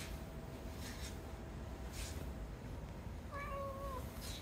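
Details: A female pet cat that meows only while her owner is busy gives one steady, drawn-out meow lasting about a second, with a few soft rustles and a low indoor hum behind it.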